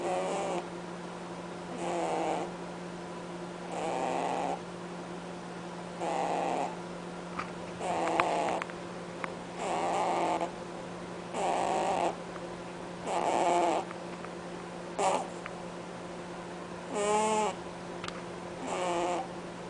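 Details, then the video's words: Sleeping pet rabbit Cadbury honking as he snores: a long run of about a dozen short raspy breaths, roughly one every second and a half, some more tonal and wavering, with a faint steady hum and occasional clicks. "Bunny snoring"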